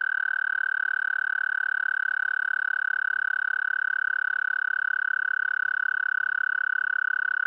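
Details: Mating call of an American toad, Anaxyrus americanus: one long, unbroken musical trill, high and steady in pitch, held at even loudness for the whole stretch with no other sounds.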